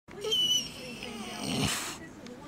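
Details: A female Golden Retriever holding a receipt in her mouth gives a thin, high, wavering whine, followed by a brief burst of rustling; finding: Golden Retriever.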